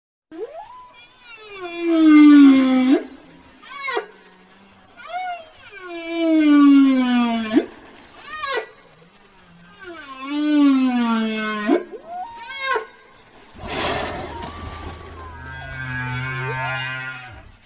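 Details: Whale voice: long moaning calls rich in overtones that rise, then slide downward, repeated about three times with short squeaks between, followed by a harsh noisy burst and a wavering tonal moan.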